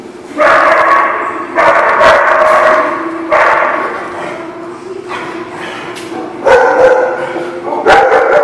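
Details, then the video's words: Dogs at a barking lot recorded 4/2/18, loud harmonic barks coming in bursts of about a second, roughly six bursts separated by short pauses, with quieter background yips between them. "The Barking Lot"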